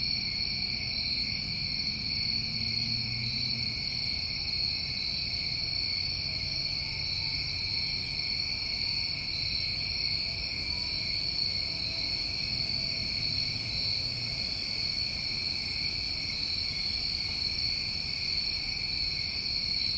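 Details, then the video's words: Dense New England summertime cricket chorus holds a steady, piercing high drone for twenty seconds, while short sharp very high chirps break in roughly every two to three seconds over a faint low rumble. "Tinnitus Masking With Crickets"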